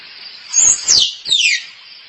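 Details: Squirrel calling for a mate, played as a lure for squirrels: loud, piercing squeals slide quickly from very high to lower pitch, three in close succession, over a constant hissing background.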